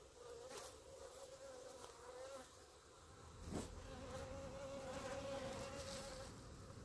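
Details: Honey bees clumped together on the grass in front of their hives, giving a steady droning hum with a clear low tone and overtones, plus brief louder swells as individual bees pass close by.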